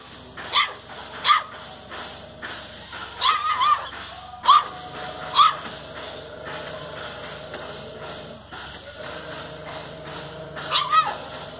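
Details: Rescued street dog named RATHI barking while playing: sharp, high yipping barks in short bursts, often in pairs, with gaps of a second or more and a long pause before a final double bark, over a steady background hum.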